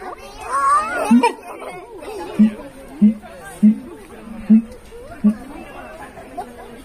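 Deep, resonant hoots from a siamang pulse out in a steady rhythm, each one brief and booming. Chattering voices of people fill the background throughout.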